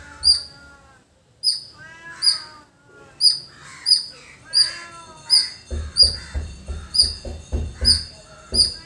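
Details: Village squirrel chirping: shrill, piercing notes repeated roughly every 0.7 seconds after a brief pause, with cawing crows behind and low thumping sounds joining in the second half.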